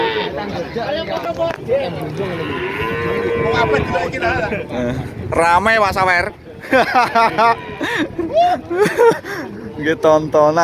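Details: Cattle at the crowded Pahing cattle market in Nganjuk: one long, steady moo holds for about two seconds, followed by shorter wavering calls, with people talking throughout and market noise behind.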